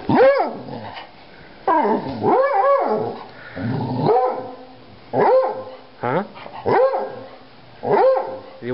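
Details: Pet dog eager to go to the park, giving a run of short, arched, harmonic barks that rise and fall, about one every second or two, while a person keeps asking if it wants to go to the park.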